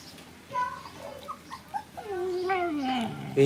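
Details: Playing puppies give short high yips followed by a long whimpering whine that slides steadily downward in pitch, in a quiet indoor-sounding space.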